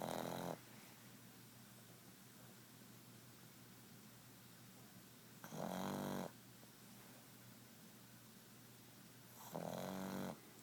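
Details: Awake pug snoring: three loud, raspy, rattling snore bursts, each under a second, coming roughly every four to five seconds, with quiet steady hiss between them.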